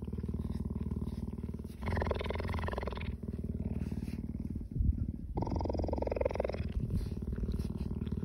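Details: Cheetah purring while licking people: a deep, steady, throbbing rumble that runs unbroken throughout, with two longer bursts of brighter rasping noise layered over the purr.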